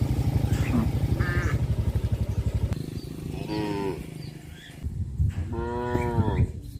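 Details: Cows herded in a wide grass field; two drawn-out, harmonic moos around three and six seconds over a steady low engine-like drone, with faint bird chirps.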